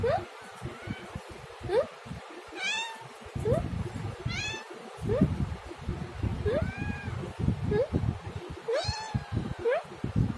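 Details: Cat giving a quick series of meows, roughly ten short upward-sliding cries interspersed with a few longer arched ones, set against constant low rustling and thumping background noise.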